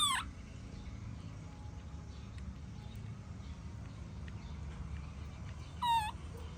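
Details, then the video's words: A baby monkey protests its mother leaving. A sharp, harmonic cry opens, falling in pitch, and a second rising-then-falling wail follows near the end. Constant low hum and faint clicks fill the gap between. "Adorable Baby Monkey Tantrum When Mom Leaving"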